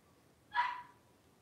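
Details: Three-week-old blenheim Cavalier King Charles Spaniel puppies, a litter of five, wrestling and playing in an indoor puppy pen; one short, sharp yip that rises quickly and trails off into a thin fading whine over a quiet background.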